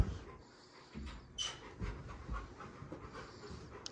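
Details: Rottweiler meeting a newborn baby on a family ranch, uneven panting puffs with a few stronger breathy bursts and low thumps, recorded indoors amid soft handling noise.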